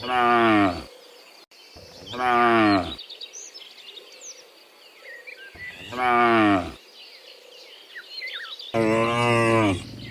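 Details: ['Afternoon herd of dozens of cows heading from the fields back to the pen, giving four deep moos of about a second each in steady succession, while small birds chirp in the background.']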